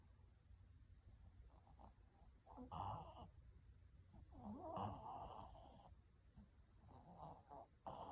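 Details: Sleeping Maltese snoring quietly: soft, raspy breathy snorts come in uneven bursts, a few longer rattling ones among shorter puffs, over a faint steady indoor hum.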